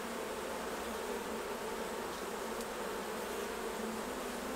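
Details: Honey bees at their hives during a honey harvest, as the honey is taken off to be jarred; a dense, steady buzzing hum of many bees continues unbroken throughout, with no other clear sounds.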